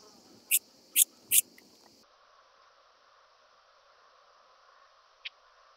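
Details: Oedaleus decorus, the Handsome Cross Grasshopper, recorded on Cres, Croatia, 27 July 2023 with an ultrasound detector: three sharp, high clicks in under a second, then near-silence and one last faint tick.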